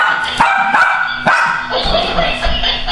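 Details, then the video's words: Female pet dog barking at a motion-activated toy that laughs and rolls; a few sharp, short barks cut through the toy's steady tonal laughing chatter. "My dog barking at Roffle"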